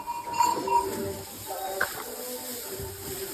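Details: Faint clinking and mechanical rattling sounds over a steady background hum, with no animal voice standing out.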